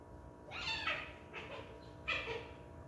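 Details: House cat giving two soft, breathy meows about a second and a half apart, quiet against a low background hum.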